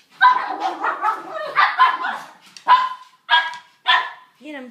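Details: Three Brussels Griffon dogs wrestling and playing rough: a run of rough, grumbling play growls, then sharp yips and short barks, with a whiny rising note at the end.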